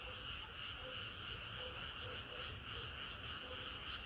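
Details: Hot summer night with frogs in full chorus, rapid overlapping croaks pulsing about three times per second and faint lower notes scattered beneath.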